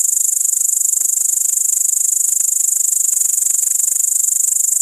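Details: Great green bush-cricket (Tettigonia viridissima) recorded on an iPod touch 5, delivering an unbroken, very high, dry rattling chirr made of rapid even pulses throughout.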